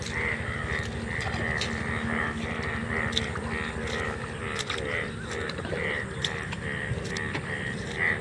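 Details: A dense chorus of many Indian bullfrogs (sona bang) calling together in a field, seen only once a year. Rapid, rasping croaks overlap almost without pause, with a continuous ratcheting undertone and scattered clicks.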